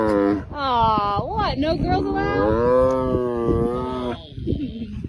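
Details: A male tiger gives long, tonal, hoarse moans that swell and sag in pitch, broken by a brief higher yelp, described as complaining a lot, outdoors under a blue sky.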